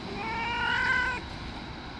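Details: Angry white stray cat that bullies other street cats lets out one strained, tonal meow of about a second, strong and harmonic, then quiet background hum.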